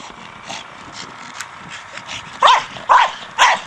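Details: Staffordshire Bull Terrier named Brogan, a four-year-old male, playing with his big hard plastic ball; soft panting-like rustle at first, then three loud sharp barks spaced about half a second apart near the end.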